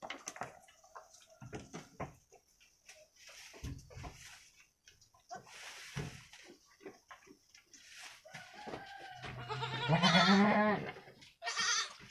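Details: Two week-old female goat kids, a Javanese Randu crossbreed, playing inside their pen; one short, quavering bleat near the end stands out among many dry knocks, hoof taps and rustling bedding.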